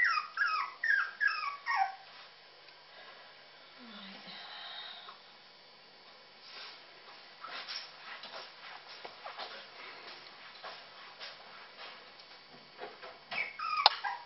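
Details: Puppies calling while eating: a quick run of high, thin yelps and whimpers at the start, then quieter shuffling and faint sounds, with a few more squeaky whimpers at the end.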